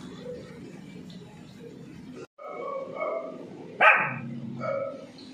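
A Pomeranian puppy gives a sharp, high yap amid quieter whines and room noise.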